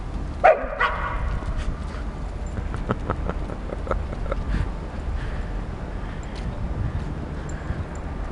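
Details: Outdoors on 22 September 2012, a playful nine-month-old female Akita, Flora, and an eight-year-old Border Collie cross, Fox, walk home from a park past Arsenal's Emirates Stadium. A single loud bark, followed by scuffling steps and steady outdoor noise.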